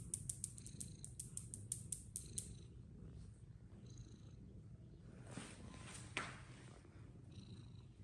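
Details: Fluffy Persian cats playing games, with a low steady purring rumble throughout, a quick run of sharp clicks over the first two and a half seconds, and a brief thump near the six-second mark.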